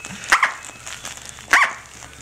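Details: Female Corgi puppy Tic-tac, 6-7 weeks old, playing with her toy duck Mr. Duck: two short, high, sharp yips about a second apart, with soft room noise between them.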